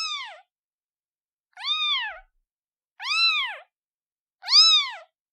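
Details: Newborn kitten calling for its mother with four loud, drawn-out meows, rising then falling in pitch, about one every second and a half, with nothing else heard.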